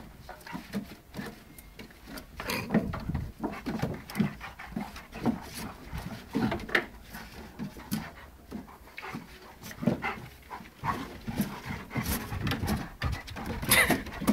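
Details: Big dog Percy and small Puppy Dave at play: steady rough panting breaths, irregular scuffles, knocks and brief clatters of rough-and-tumble movement in a small room.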